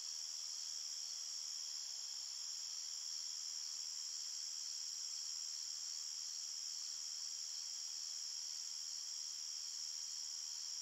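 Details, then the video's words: Crickets calling in a forest at night produce a constant, even, piercing high hum of overlapping trills without pauses or changes in loudness. "Crickets Chirping Sounds"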